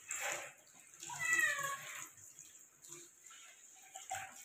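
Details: Persian cat being given a shower, letting out a drawn-out, slightly wavering meow in the middle of the clip, with softer shorter cries before and after over a steady hiss of running water.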